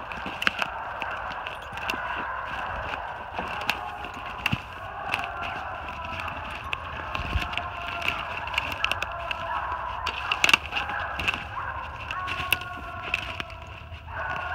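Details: Treeing Walker Coonhounds, three dogs (an open spotted female, a saddle-back male with chop, a blanket-back male with long bawl) treed on a big den 450 yards off, New Jersey, 28 March 2018; distant overlapping drawn-out baying, crackling handling noise.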